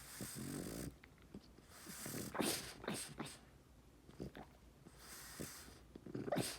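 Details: French Bulldog asleep indoors in Kyoto, Japan, snoring: soft breathy rasping snores with sniffling snorts, some louder airy pulses near the middle and end.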